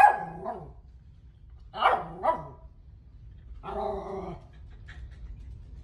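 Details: West Highland White Terrier, a female pet, barking at her own picture indoors: a few short harsh barks and a yelp-like rising call, spaced over several seconds, with quiet room hum between.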